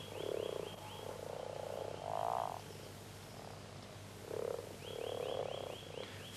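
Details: Common frogs at the peak of the mating season, males gathering from all sides to join the growling chorus in shallow, vegetated water near the shore; low, soft purring croaks in short bursts and longer rolls, with a faint high whine throughout.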